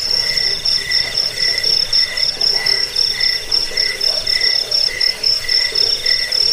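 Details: Crickets chirping together, a recording meant to scare rats, aid sleep and tutor birds; quick even pulses, nearly four per second, over a sharp sustained high-pitched ring.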